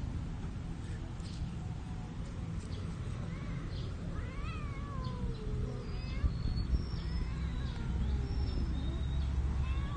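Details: Shy park cats mating hidden among plants, their drawn-out yowling caterwauls rising and falling, several overlapping wavering cries over a steady low rumble of background noise.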